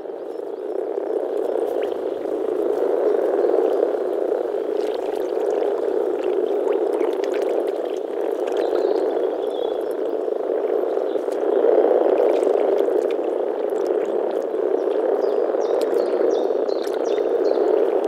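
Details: In early spring, male European common frogs (Rana temporaria) gathered to mate in a forest pond in the Czech Republic call from their vocal sacs, soft grunting croaks blending into a continuous low purr, with faint clicks now and then.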